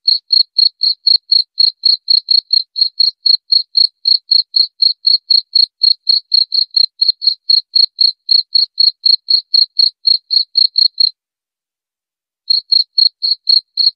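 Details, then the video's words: Cricket chirping presented as a rat repellent, high pulses about four per second; the train stops for roughly a second and a half near the end, then resumes. Nothing else is audible. "Suara Jangkrik"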